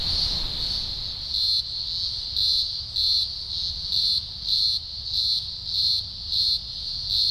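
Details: Chorus of thousands of green grocer cicadas at a large emergence, Blue Mountains, Australia, early October 2020; a steady high buzz overlaid by distinct loud pulses repeating about every 0.7 seconds.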